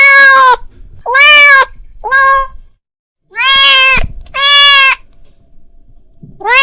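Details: Domestic cat calling his friend: a run of six loud, harmonic meows, short and longer ones mixed, with a silent gap in the middle before two drawn-out calls and a final clipped meow.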